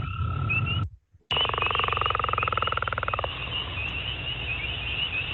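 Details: Northern leopard frog calling in a rapid, rattling, snore-like run of pulses lasting about two seconds, after a brief break in the sound. A steady background hum continues underneath.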